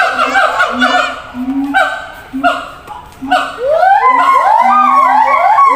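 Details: Siamangs at a zoo shouting between separate enclosures; sharp falling wails and a low pulsing boom, then from four seconds a thick chorus of overlapping rising barks and whoops.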